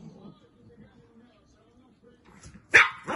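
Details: Chihuahua named Minerva, a graduate of the Kastropulo kennel, sending greetings from Achinsk. Quiet room with faint low murmuring, then one sharp, loud bark near the end, followed by a second shorter bark.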